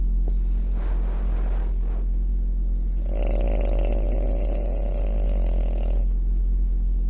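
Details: A female French Bulldog snores while asleep, giving a long, raspy, rattling snore over a low background hum.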